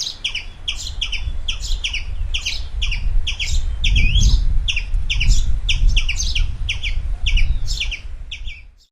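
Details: A red squirrel with a black tail, playing in a deep forest, gives a rapid series of sharp, high chips repeated two or three times a second.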